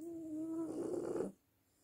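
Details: French bulldog snore that begins as a steady whistling nasal tone and turns into a rough rattling rasp before stopping abruptly, about 1.3 seconds in all, in a quiet room.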